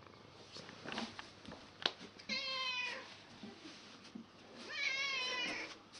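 An angry domestic cat gives two drawn-out, wavering yowls against a background of wind.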